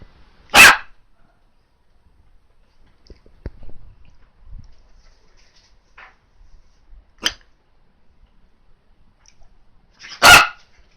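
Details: Female Miniature Dachshund, freshly groomed after a haircut as the weather suddenly turned hot, gives three sharp, loud barks spaced several seconds apart, with faint shuffling noises between them in a quiet room.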